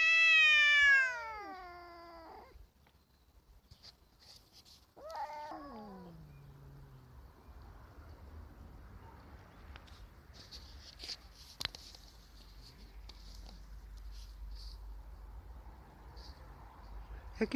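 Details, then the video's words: Domestic tomcats, one ginger and one black, confronting each other near a female on 27 March; one loud descending wail, then a shorter falling moan, followed by quiet rustling and faint clicks. "Marcowe miauczenie kotów"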